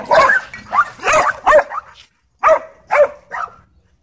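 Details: Dog park dogfight among leashed dogs: a handful of sharp separate barks, a quick cluster of four in the first two seconds, a short silence, then three more spaced about half a second apart.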